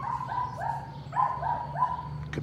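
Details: Patterdale Terrier puppies during evening rat work in a puppy pen give a run of high, tonal yelps, about five short rising-falling cries in quick succession over a steady low hum.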